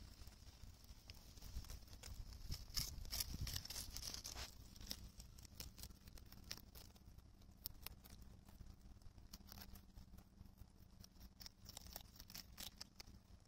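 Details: A rabbit on Okunoshima (Rabbit Island), Japan, in June 2021, chews cabbage thoroughly with quick, crisp, crunching bites repeated in a steady patter.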